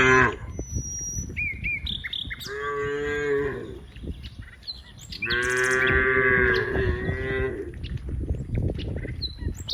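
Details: Two long, bellowing moos rise over a murmur of background noise as dozens of cows play with friends in green rice fields, with scattered bird chirps between the calls.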